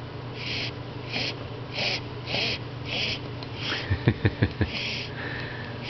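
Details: Indoors on Christmas Eve, a Basset Hound, nervous about his owner leaving the next morning, whines in breathy, wheezy bursts about twice a second, ending in a thin high note.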